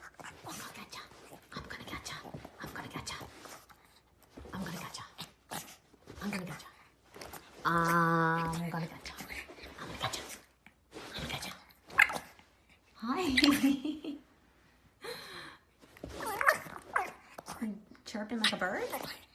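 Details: Pet dog indoors making funny sounds: a drawn-out harmonic whine near the middle, with other short whimpers and growly vocal noises, mixed with a person's playful talking throughout.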